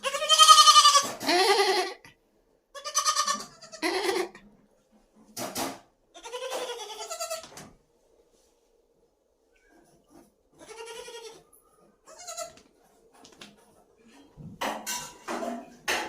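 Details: Domestic goats kept in a home goat-rearing experiment at Shirvane, Dapoli, in Konkan; loud wavering bleats with strong harmonics come in bursts with short gaps, several overlapping voices, and faint background hum.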